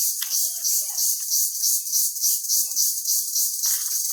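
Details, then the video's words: Loud village crickets, small insects, make an unbroken shrill high hiss with soft, uneven throbbing, plus a few faint scattered knocks and rustles in the background. "ছোটো ছোটো পোকা, অনেক শক্তে ডাক দেয়, শুনেন।"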